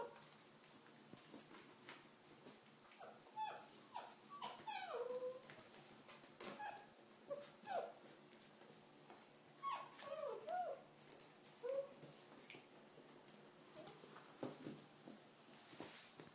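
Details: A litter of red rust Doberman puppies, five weeks old, starting deworming; short high yips and whimpers come in scattered bursts, some falling in pitch, between quieter stretches of rustling and clicks.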